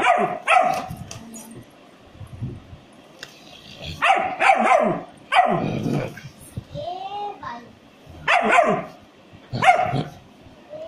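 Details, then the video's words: German Shepherd puppy barking in sharp, bright yaps that come in short bursts of one to three, separated by pauses of a few seconds, with a faint voice and a brief tonal sound in the gaps. "How to Gsd puppy bark"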